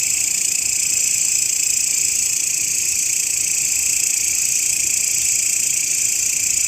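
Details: A continuous shrill grasshopper buzz, used as a master recording to teach songbirds. Layered high bands hold steady throughout with a quick, slightly uneven pulse and no other clear sounds.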